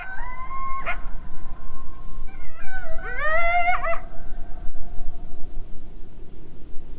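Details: Coyote howls, drawn-out wavering tones followed by a burst of rising, broken yips, possibly distant with echo and perhaps one loud caller among a larger unheard group; Coyote.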